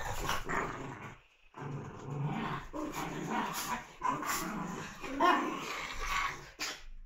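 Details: Puppies busy playing: near-continuous low growling and grumbling with brief sharper yips, one short silence early on, over a constant high background hiss.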